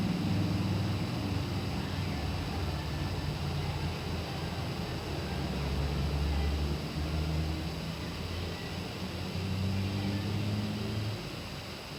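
Steady low engine-like rumble with faint voices, and no animal calls heard.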